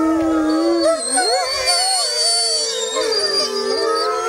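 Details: Grey wolf pack howling in the wild at full moon: many overlapping voices swooping and wavering, some high, some lower, forming a dense continuous chorus.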